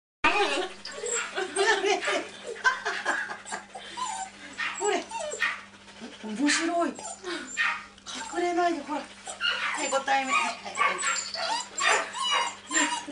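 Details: Siberian Husky brothers in spring 2006, in an unfamiliar place meeting unknown animals; continuous whining, yodel-like vocalising with pitch sweeping up and down in quick bursts, human voices mixed in, and a steady low hum behind.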